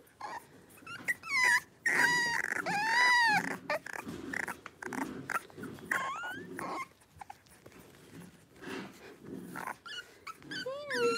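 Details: Blenheim Cavalier King Charles Spaniel puppies from a New Year litter of five, indoors in a home puppy pen; drawn-out, wavering high whines and squeals mix with brief yelps and scuffling sounds from wrestling.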